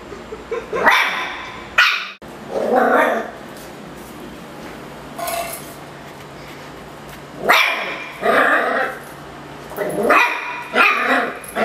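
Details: Indoor miniature schnauzer, angry at a Yakult pot, gives loud, rough barks in short bursts, a pair early on, then a cluster of three or four after a quiet stretch, with muffled grumbles between.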